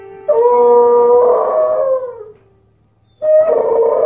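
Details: A domestic dog singing on cue gives a sustained, even howl that slides downward and fades. After a short silence a second howl begins. A faint low hum continues in the background.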